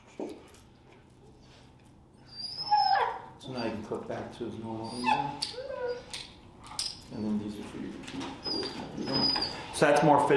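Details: Feral dog Finnegan during a Chicago training session introducing the e-collar: high thin whines and harmonic whimpering cries come in clusters, mixed with brief yelps, while human speech continues in the background.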